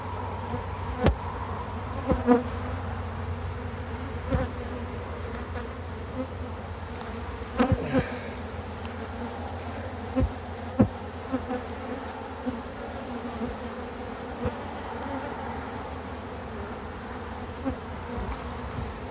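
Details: Honey bees at a hive during harvest and expansion: a steady, low, even drone of many wings, with occasional sharp knocks and clicks from hive handling.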